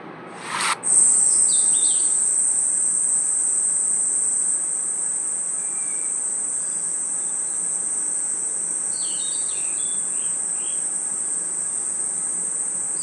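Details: Night forest insects, crickets among them, giving a continuous high piercing trill, with scattered short, higher chirps early and late and a sharp click near the start.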